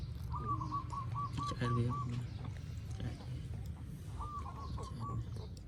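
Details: Phone recording of newborn puppies in Cambodia: a quick string of stuttering whimper pulses, then a pause and a second shorter burst, over a constant low rumble.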